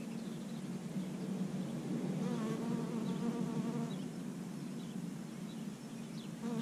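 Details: Bee foraging for pollen on dandelions in early spring; a loud continuous low buzz with rising and falling harmonics swelling mid-clip, then easing toward the end.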